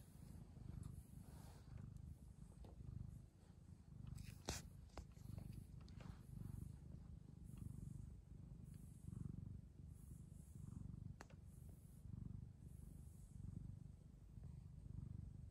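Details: Persian chinchilla cat purring while being petted: a low, steady rumble pulsing in regular waves about once a second, with occasional soft clicks and rustles.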